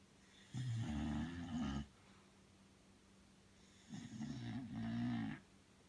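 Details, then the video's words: Two drawn-out snores from Belle, a Bulldog fast asleep, each a low grating rumble with a wavering whistling edge, about one and a half seconds long, with a quiet gap between. "Bulldog snoring"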